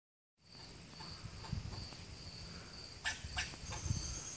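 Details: A squirrel in Lakeside Chautauqua, Ohio gives a few sharp, harsh barks over a steady high insect drone.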